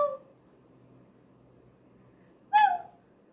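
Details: In a quiet room, one kitten gives a short flat mew at the start, then a louder, clear meow that drops slightly in pitch and fades out.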